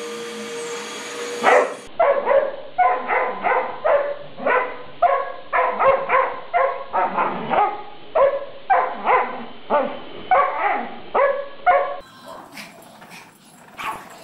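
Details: Dog barking at a vacuum cleaner: a long run of sharp, loud barks at a quick pace of nearly two per second, after the machine's steady hum cuts off at the start. Barking slows and fades near the end.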